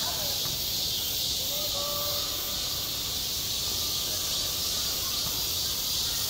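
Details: Cicadas sing in summer over a school playground: a steady, dense, hissing drone fills the high range without pause, with a few faint bird-like whistles below.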